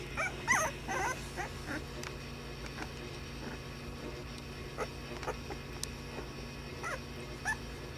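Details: Puppies at play, giving scattered short yips and thin whimpers, a few louder squeaks early on, over a steady low hum and background noise.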